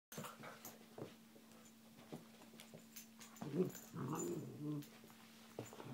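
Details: A pet dog playing indoors with a kitten, giving soft low growls and whimpers amid scuffling and bumping, with a steady low hum in the background and a louder burst of growling near the end.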